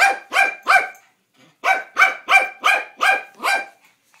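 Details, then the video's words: Toi the dog barking at the mail man: three harsh, rich barks, a short gap, then six more evenly spaced barks at a fast, insistent pace. "Toi barking at mail man"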